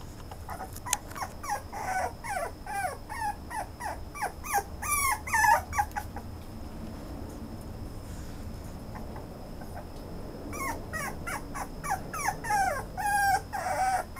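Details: Toy Poodle giving rapid, wavering high-pitched whimpers and squeaky yelps in dense flurries, pausing midway before resuming, while a faint constant high tone sounds throughout.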